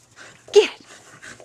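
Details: Skid, a red and white female Border Collie that loves working livestock, gives one short, sharp bark that drops in pitch while playing fetch, among a man's commands.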